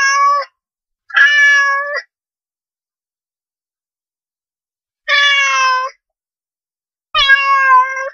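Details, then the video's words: Four clear cat meows meant to lure cats: a pair of short mews close together, a three-second pause, then two longer steady meows, the last with a faint wavering pitch, with no background noise. "make this sound cat come to you"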